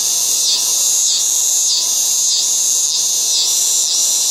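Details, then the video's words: A loud, continuous high-pitched chorus of yard cicadas in August, buzzing in regular waves about every half second. "LOUD AUGUST YARD CICADAS ---- Audio Sound Effect"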